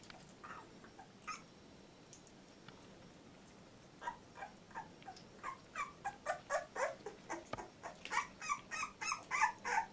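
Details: Two-week-old Labrador Retriever puppy, Litter J: faint squeaks at first, then a steady run of short rising-falling whimpers about three per second, growing louder.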